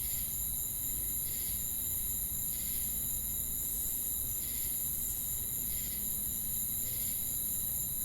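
A night chorus of crickets forms a constant high shimmer, with brighter pulsed bursts recurring roughly once a second. A low rumble of background noise runs underneath throughout.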